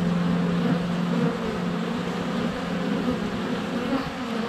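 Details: Close-up hum of honey bees swarming at a hive entrance during a sunny spell in February, captured on a GoPro Hero 7 Black; continuous low, droning wingbeat buzz with slight wavering pitch.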